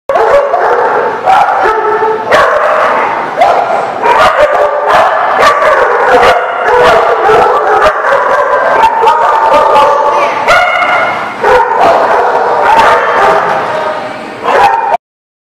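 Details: Dogs barking, recorded on 8/10/18: loud, continuous overlapping barks and yips come in rapid, irregular bursts throughout, with several voices of different pitch, ending abruptly.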